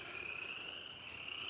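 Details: Frogs chirping again in the evening in woods near East Dublin, Georgia: a continuous shrill trilling chorus holds steady throughout, with a faint low background hum.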